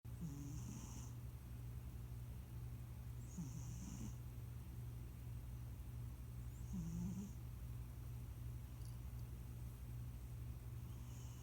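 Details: Leon, a plump pet cat nicknamed Debunyan who recently joined the family, snoring in sleep: three soft, raspy rumbling breaths roughly every three seconds, each with a faint airy hiss, over a steady low mechanical hum.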